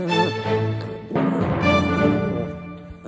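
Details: Loud orchestral music with timpani swells, with brief speech mixed in.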